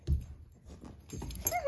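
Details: A playful 10-week-old basenji puppy gives a brief, high, rising whine after a soft thump and some rustling.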